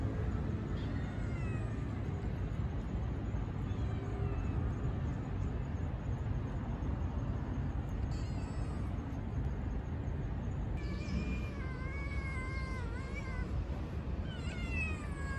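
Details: A new stray kitten, possibly a street cat, gives high meows around two and eleven to fifteen seconds, harmonic cries with wavering pitch over constant low rumbling background noise.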